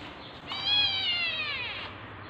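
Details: Tabby cat in labor, giving birth to kittens, gives a single drawn-out meow lasting about a second, bright and slightly falling in pitch, against a quiet low background hum.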